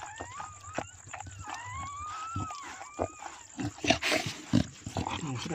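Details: A black Chow Chow giving birth whimpers in thin, wavering whines that rise and fall, with rustling and handling noises.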